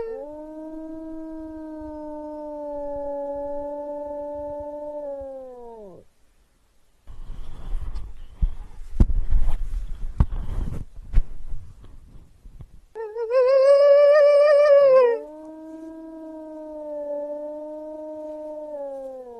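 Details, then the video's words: Wolf howling in long, even notes that drop off at their ends, broken by loud rustling and thumping noises, then a higher, trembling howl followed by another steady, level howl. "Wolves Howling for Dog"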